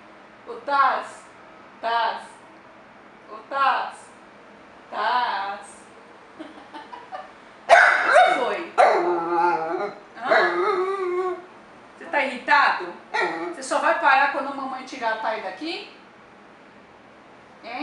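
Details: Pissed-off dapple piebald Dachshund protesting his sister being on the owner's lap: brief rising whines roughly every one to two seconds, then a louder stretch of wavering, talk-like moans and grumbles with quick pitch bends.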